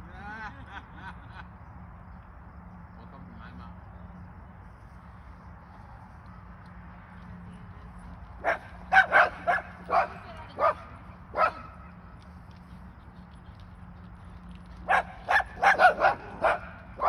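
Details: Lulu, a pet Airedale terrier, barks in two bursts of sharp, loud barks, about five then seven in quick, uneven succession, after a long stretch of quiet talking and faint background noise.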